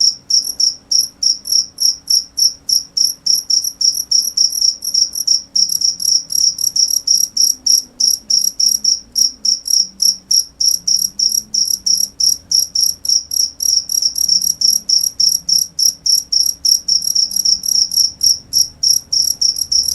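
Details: A cricket keeps up a dense run of shrill, rapid chirps, pulses crowding close together and slightly uneven, over a quiet low background murmur.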